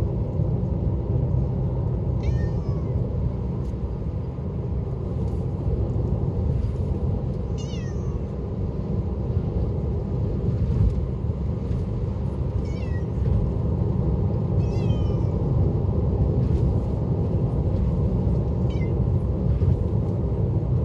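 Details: Hoarse, frail mews from a cat riding in a car to the animal hospital; five brief downward-sliding cries scattered across twenty seconds, soft against the constant low drone of the moving car.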